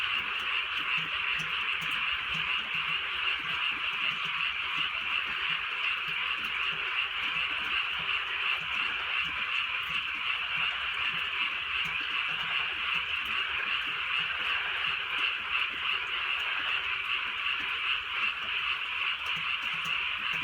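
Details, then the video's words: Frogs calling on a drizzly night in the countryside: a dense, continuous chorus of rapid croaking pulses overlapping into a steady bright buzz, with faint low rumbles beneath. "개구리 소리"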